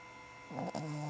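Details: A sleeping female Cavalier King Charles Spaniel, apparently dreaming, gives a brief, loud, raspy snore over a steady electrical hum.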